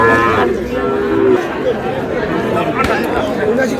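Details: Cattle at a market in Khulna, Bangladesh, where a Sahiwal bull calf is bought in August: one drawn-out, harmonic moo opens the recording, then a busy murmur of voices and market chatter takes over.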